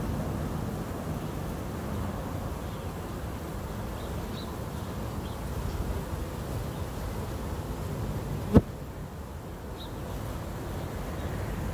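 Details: Honey bees at a hive: a steady, low droning hum of many wings, unbroken throughout, with a single sharp click partway through.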